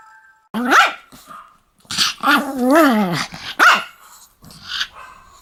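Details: Pomeranian dog said to be attacking people, giving sharp high barks mixed with a longer wavering growl-like yowl, four outbursts over about five seconds separated by short pauses.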